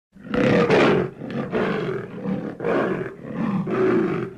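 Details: Leopard giving a series of rough, rasping, roar-like grunts, about six strokes in just over four seconds, each loud and harsh with a brief breath between, rising and falling in a steady sawing rhythm; no other sounds.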